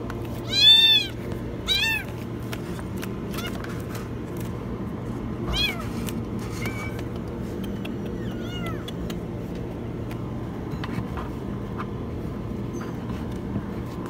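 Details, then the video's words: Kitten caught inside a washing machine giving two loud, very high meows early on, then a few fainter arched cries, with clicks and a continuous low mechanical hum throughout. "Kitten stuck in the washing machine meow very high"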